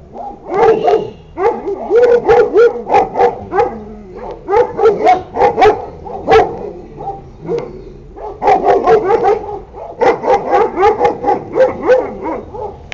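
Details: Litter of Sarplaninac pups, sired by Lun od Bjelica out of Tara od Bjelica, yapping almost nonstop in sharp, high, overlapping yips about four per second, with two brief pauses near four and eight seconds.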